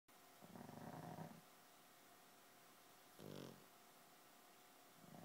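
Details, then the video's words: Two sleeping pugs snoring together in time; a long, rough, low snore is followed by a shorter, louder nasal snort a couple of seconds later, in a quiet room. "Snoring Pugs"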